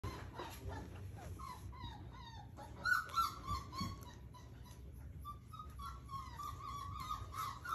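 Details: A 29-day-old Rottweiler puppy from a newborn litter plays with a person's hand, giving thin, high whimpers and squeaky yips in quick, uneven bursts.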